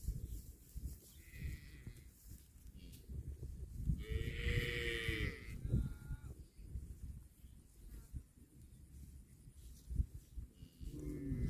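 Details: Cow eating grass gives one long, drawn-out moo that rises then falls near the middle, with a short moo at the end. Steady chewing and tearing of grass, and rustling, continue beneath throughout.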